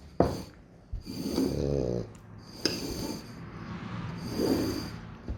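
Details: French Bulldog Loki snoring indoors during a food taste-testing game: long, rough, rattling breaths with a soft whistle, two drawn-out snores about three seconds apart, a short snort between them.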